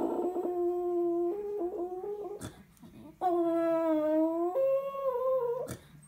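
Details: Old female dog howling at home after the phone rings and the answering machine picks up: long sustained tonal howls with rich harmonics, holding steady, then sliding upward and wavering, broken by brief clicks and short pauses.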